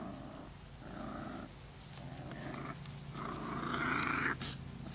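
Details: Holly's six-week-old rescue pups, a litter of ten at Lonely Hearts Animal Rescue, give strained nasal whines mixed with rumbling growls, rising to a higher squeal near the end over a constant low background hum.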